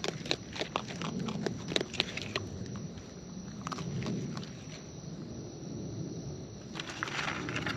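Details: Wild raccoons eating close up, with natural chewing: sharp irregular clicks and crunches scattered over the first half, a softer stretch in the middle, then more crackling bites near the end over a low rustling background.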